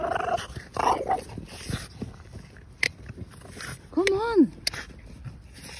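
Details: Excited over a ball found on a walk, Margo the female French Bulldog gives one loud, arched whine that rises and falls in pitch, after a person's voice urging her to come.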